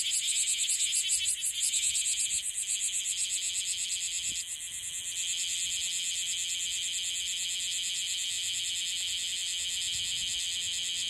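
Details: Okinawan bear cicada newly emerged, singing clumsily: strong pulsed buzzing that wavers and dips in loudness around four seconds, then settles into a steady continuous drone.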